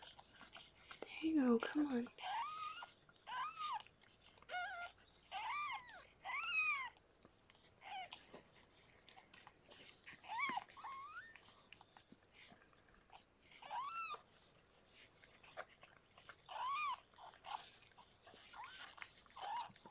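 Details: Indoors, the rescued cat Harlequin gives birth to six kittens; many short high mews with sweeping rise-and-fall shapes repeat steadily, some brighter and sharper, with a brief human voice near the start.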